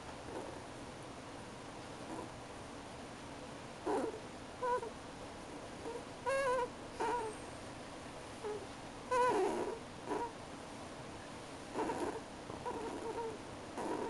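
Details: Pet ferret crying: short, thin whining cries with wavering pitch come in scattered bursts, some a second long, separated by quiet pauses over steady low room hiss.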